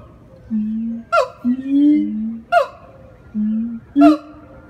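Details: Captive siamang at the Jacksonville Florida Zoo: low, drawn-out booming tones from an inflated throat alternate with sharp, high whooping barks that drop in pitch, in a slow call-and-boom rhythm.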